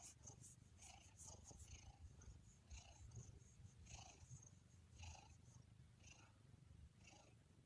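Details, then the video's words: Domestic cat purring: a steady low rumble throughout, pulsing gently in a breathing rhythm, with brief faint higher rustles and clicks recurring about once a second over the purr. "Relaxing Cat's Purring ¦ Kucing Mendengkur"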